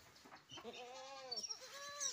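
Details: Goat from a collector's pen of unusual goats letting out a drawn, arching bleat that rises then falls, followed by a shorter softer bleat, with light rustling behind.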